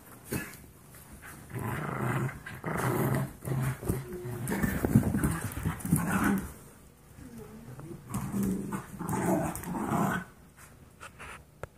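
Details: Wrestling Golden Retriever mix foster pups at 17 weeks old make a jumble of short growls, grumbles and a few yips, with quieter pauses between the scuffles.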